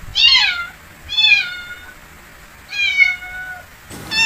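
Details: A cat meows in a series of high, thin, slightly falling calls, three clear meows with pauses, then another cat call begins abruptly at the end; quiet indoor background.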